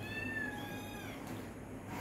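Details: ['High-pitched, slightly falling mew from cats eating dinner, clearest near the start. It fades into a low household hum, with Bengali speech nearby.']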